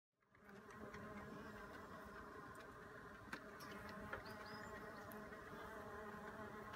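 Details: Mason bees busy in a backyard on a warm spring day in April 2016, with a bumble bee also about: a continuous, steady low droning hum from several bees, with a few faint clicks.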